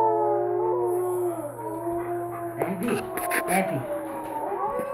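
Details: A female Alaskan Malamute indoors gives drawn-out, tonal howls sliding up and down in pitch, answering wolf howls played on a computer video. A brief burst of voices and rustling comes midway over a steady low hum.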